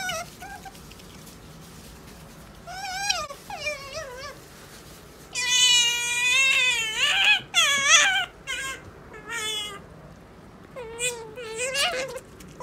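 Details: A pet otter eating lettuce gives repeated bursts of high, wavering, mewing squeaks, several in quick succession, rising and falling in pitch, with quiet pauses between bouts.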